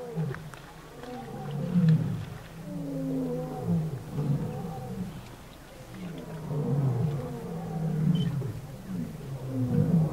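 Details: Lion roaring at a big waterhole in the Kalahari, Botswana, June 2013, while people watch animals there. A series of deep, low moaning grunts swells and fades in repeated waves, with soft background noise.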